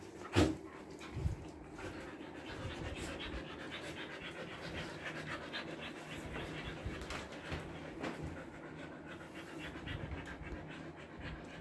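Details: Trimmed Siberian Husky Bittu panting in Kolkata summer heat, India: sustained rhythmic breathy panting through the whole stretch, opening with a couple of brief louder knocks, steady hum in the background.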